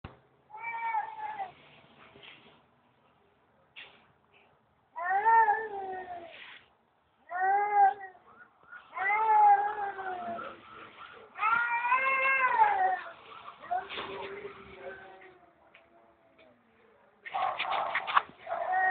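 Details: Stray cat behind an office building, being talked to by a person, giving a string of harmonic meows, some drawn out and wavering, interspersed with quieter human speech.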